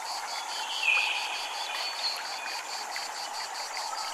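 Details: At a Japanese temple, cicadas give a high, steady buzz that pulses about four times a second over a soft wash of water, with chimes in the setting.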